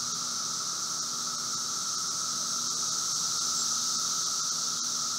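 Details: Periodical cicadas of Brood V, the 17-year Magicicada, recorded outdoors at a Logan, Ohio residence on a June 2016 afternoon: continuous high hissing drone with a steady lower tone underneath, unbroken throughout.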